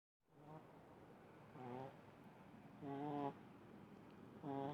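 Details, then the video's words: Little pug named Munichka in deep sleep, snoring in three uneven bursts, the last two louder, each a buzzy harmonic rasp about half a second long, with a quiet steady room hiss between. "Видео как храпит маленький мопсик Муничка"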